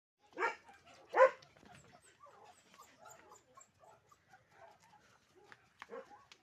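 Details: Yellow Labrador Retriever giving two short, sharp, harmonic barks in quick succession in the opening second, then a stretch of faint soft rustles and murmurs, with one more softer bark near the end.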